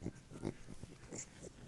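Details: Beagle making pig-like sounds: a string of short, low, snuffling grunts and snorts in quick succession, rough and nasal, while a person talks to the dog about being fat.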